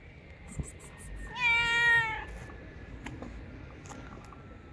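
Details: Loud stray cat on the street giving one drawn-out, strongly harmonic meow lasting about a second, steady in pitch, preceded by faint clicks, with low street rumble beneath.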